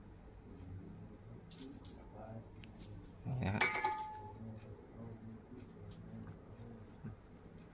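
Indoor clatter and faint voices, with one sharp knock partway through and no clear animal call.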